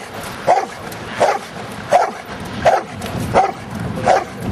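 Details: Six evenly spaced barks from Luther the giant schnauzer while playing in rain and mud, each a short mid-pitched woof about 0.7 seconds apart, with rushing outdoor noise beneath.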